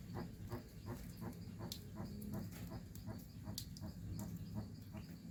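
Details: Jabuti tortoise in the Amazon rainforest of Pará, Brazil: a fast series of short, low, dull clucking pulses, roughly three per second and slightly uneven, over a steady low rumble with scattered faint high ticks.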